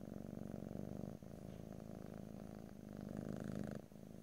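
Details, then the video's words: Domestic cat purring loudly and close, a rich low rumble pulsing rapidly, short breaks between inhale and exhale phases about every two seconds, no voices. "ASMR Cat: Purring"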